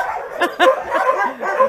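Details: A crowd of homeless mongrels, some of roughly 2,000 animals hoping for a home, keep up a noisy wall of overlapping barks, with a few sharper, louder yaps standing out.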